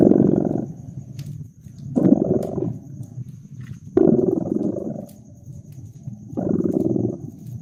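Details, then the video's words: Purring house cat next to a crackling fire in cozy winter ambience; four throaty, buzzing surges come at about two-second intervals, separated by quieter rumbling breaths, with scattered wood crackles. "Purring Cat"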